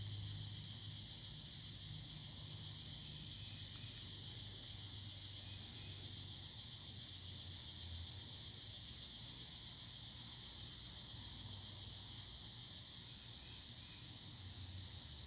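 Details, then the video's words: Cicadas singing in the evening: a continuous, steady high-pitched buzzing drone without pauses, with a faint low hum running underneath. "Evening Cicada Sounds"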